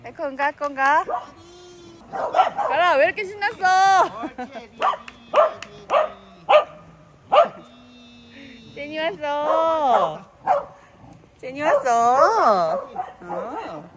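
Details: Welsh Corgis, several pet brothers, excitedly greeting as people arrive; high wavering whines rise and fall in long arched yowls, mixed with short yips, while people talk and call the dogs throughout.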